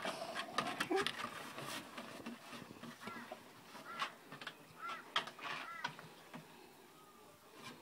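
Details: Black Great Dane puppies giving short, arched whimpers in the second half, repeated roughly once a second, over scattered clicks and rustling.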